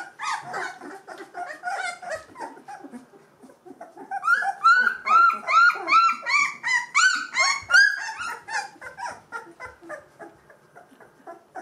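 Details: Gordon Setter puppies, two weeks old with eyes and ears open, whining together; soft mixed whimpers rise into a steady run of loud arched squeals about every half second, then fade to quieter whines.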